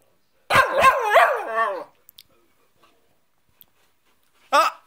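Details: Scolded Cockapoo talking back about a cushion with a loud, yowling whine of about a second and a half, several wavering swoops that slide downward at the end, then a brief second yelp after a long pause.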